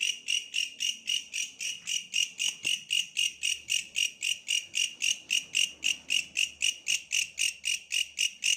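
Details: Tree bush cricket heard in a countryside setting, giving a steady run of buzzy pulses about three to four per second, strong and high-pitched, with faint low background noise.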